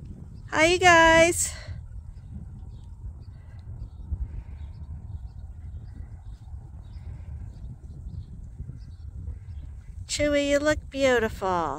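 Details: Sheep at Ewetopia Farms on a morning when the flock piles up waiting to be let out to pasture. Two drawn-out, wavering bleats come at the start and the end, with a quiet outdoor background between them.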